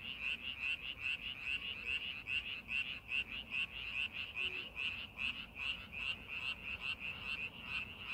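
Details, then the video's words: Frogs in a paddy field being readied for farming, croaking in an even, rapid chorus of bright clicks roughly two and a half per second, loudness pulsing regularly with faint low background noise beneath. "농사준비하는 논에서 개구리 울음소리"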